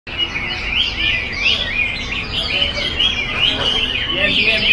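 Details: Chinese hwamei singing in full voice, a continuous run of rich, varied whistled phrases, rising and falling slurs with quick trills, with a faint low rumble beneath.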